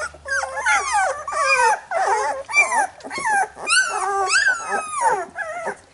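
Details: Young Labrador Retriever pups being licked clean by their mother following nursing: wavering, bending whines and squeals from more than one pup, continuous and overlapping, with faint low rumbling at the start.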